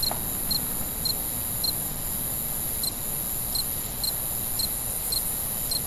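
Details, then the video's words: Crickets at night chirping in short high pulses, mostly every half second with a pause in the middle, set against a constant high-pitched insect drone and low ambient rumble. "Night Ambient Sounds, Cricket, Sounds at Night"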